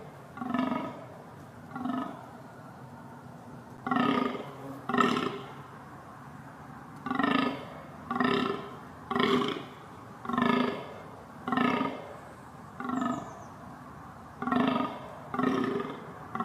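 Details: Reindeer (Rangifer tarandus) gives hoarse, throaty grunts, repeated roughly once a second in an uneven rhythm.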